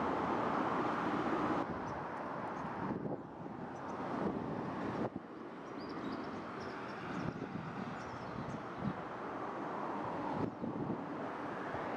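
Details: Steady broadband rumble of traffic and wind noise, with no distinct animal calls standing out.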